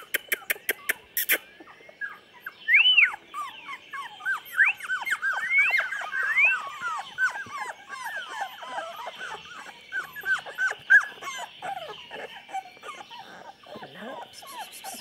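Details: Litter of 24-day-old chocolate Labrador puppies, November 2014, whimpering over each other in a dense, overlapping chorus of short squeaky whines and yelps, with a few clicks at the start and end.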